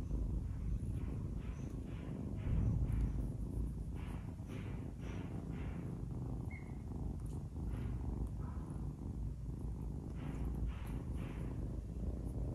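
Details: Playful adopted kitten biting fingers, purring in a deep, rhythmic rumble pulsing about four times per second throughout, steady and unbroken.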